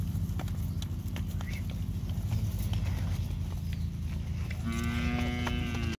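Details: Auction lot of forty Beefmaster heifers weighing 225 kg; after several seconds of low rumble and scattered knocks, one loud, bright bellowing moo with strong harmonics fills the last second and a half.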